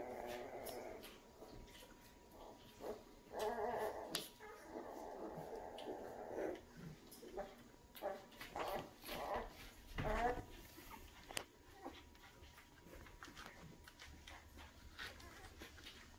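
Great Dane puppies whimper and yip in short, whiny bursts amid scuffling and clicking noises.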